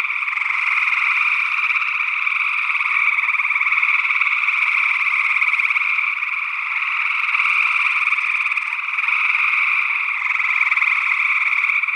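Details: Gray tree frogs calling in Northwest Wisconsin in early June 2022, recorded with a matched pair of SE Electronics sE8 condensers in ORTF. A dense, unbroken chorus of overlapping trills fills the whole stretch, with a second unidentified frog species mixed in.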